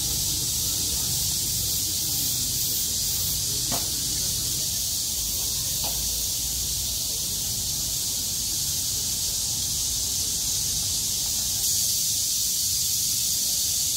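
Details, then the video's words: Cicadas singing in chorus on 6 August 2020, after surviving heavy rain, once the rain stopped and the sky cleared. A dense, steady high hiss continues throughout, with a faint low rumble beneath. "매미들의 합창"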